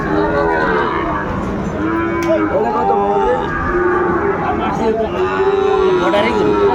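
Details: Sahiwal bull calves and cattle at a busy market in Dhaka, Bangladesh, on 8 May 2024. Several overlapping low, drawn-out moos arch up and down, one following another every second or so, over steady crowd chatter and bargaining voices.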